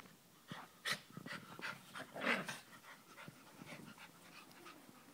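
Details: Play sounds from two schnauzers, a 12-week-old chocolate brown Toy Schnauzer puppy pouncing on a 5½-year-old salt-and-pepper Miniature Schnauzer: short scattered yips and huffs in an uneven string, with one sharper squeak standing out.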